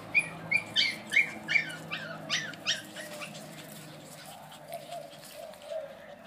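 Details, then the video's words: Brussels Griffon puppies squeaking: a run of about ten short, high yelps around two and a half per second, sharp at first then softer and fading, over a steady low hum. "Puppies cachorros Brussels Griffon"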